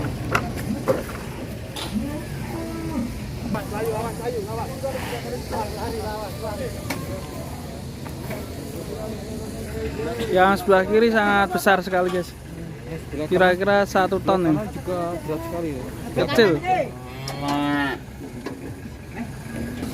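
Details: Qurban cattle being unloaded from a truck, some agitated: a low rumbling stretch followed by three or four strained, wavering moos in the second half, mixed with background voices, clanking and vehicle noise.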